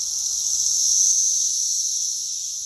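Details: Short burst of Brood X cicada chorus from South Central Indiana, a backyard pear tree measured near 113 decibels: an intense, even, high-pitched hiss-like whine that swells and then slightly fades.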